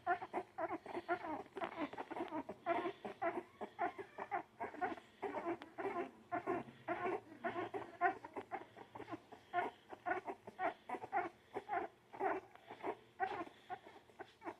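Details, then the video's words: Baby dogs whimpering and squealing nonstop, short nasal cries tumbling over one another at a fast, uneven pace, indoors with little other sound. "baby dogs making cutest noises"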